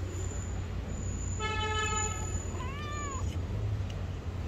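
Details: Hungry stray cat asking for food, one of two street cats: a long flat harmonic meow followed by a short arched meow, both over heavy low rumbling traffic noise.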